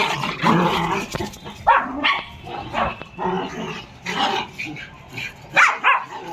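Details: Dog during playtime with a child, giving a string of short, rough barks and throaty growling bursts roughly every half second to second, some sharp and higher, with a busy, noisy background throughout.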